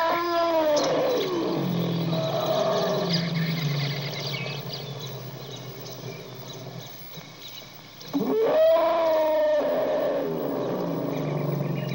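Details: A wild elephant call: sustained tonal, slightly wavering squeals over a steady low rumble. A sharper rising cry breaks in near the end before easing back into drawn-out moaning tones.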